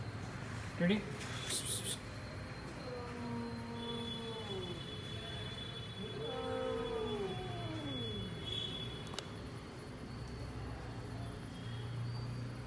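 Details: Domestic cat indoors giving two drawn-out meows, each sliding downward in pitch over a second or more, with a short sharp knock near the start, a voice nearby and a steady low hum underneath.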